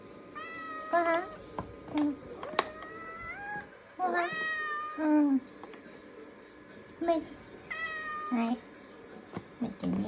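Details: Ragdoll cat kitten named Latte, born August 2022, meowing indoors while wanting food: drawn-out, wavering meows rising and falling, several in a row about every two to three seconds, with short low chirps between and faint household clatter.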